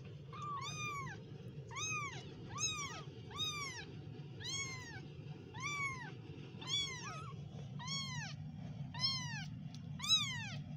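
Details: Kittens giving a rapid run of about eleven short, high-pitched mews, each rising then falling, almost one per second, with a continuous low rumble underneath.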